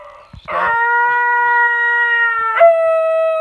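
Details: Female basenji yodelling: one clear, steady tonal howl held evenly for about two seconds, then stepping abruptly to a slightly higher note that continues smoothly, after a few faint clicks at the start.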